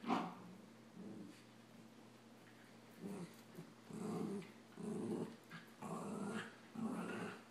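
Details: Samoyed puppy Adam and a Rat Terrier puppy play fighting; after a quiet start, short low growling bursts come roughly once a second from about the third second onward, each rough and throaty, with brief pauses between.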